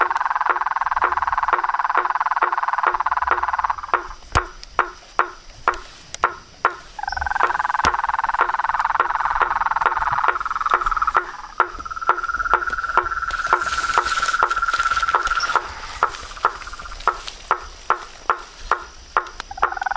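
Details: Mixed chorus of toads, frogs and tree frogs: a dense buzzing trill that stops and restarts, with a pulsed ringing note later and sharp knocking calls repeating throughout at a quick, uneven pace.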